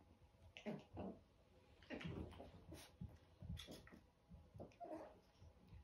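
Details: Eleven-week-old chihuahua puppies give short whimpering and yelping cries in uneven bursts, some with a tonal whine, over a low background hum.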